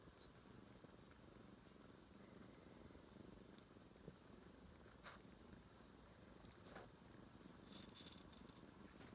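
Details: Domestic cat purring quietly indoors, a low, steady rumbling hum held throughout, with a few faint clicks and a brief higher rustle near the end.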